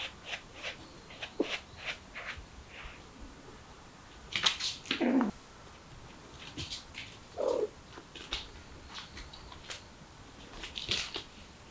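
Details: Mother cat with her kittens, trying to escape through a window indoors; a few short rough cries, the loudest near the middle and another a few seconds later, among scattered light clicks, scratches and rustling.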